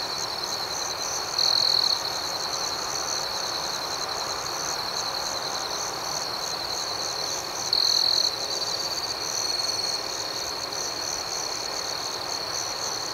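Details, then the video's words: Night crickets keep up an even, high, ringing trill overlaid by quick regular chirp pulses, with two short louder bursts of the shrill tone standing out midway and later. "Soothing Cricket Sounds"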